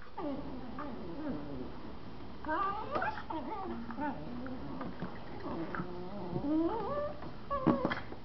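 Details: Two Miniature Schnauzers, a mother and her four-month-old puppy, playing indoors in a living room; a run of wavering, whiny yelps and squeaky rising whimpers, irregular and overlapping, with soft scuffling between them.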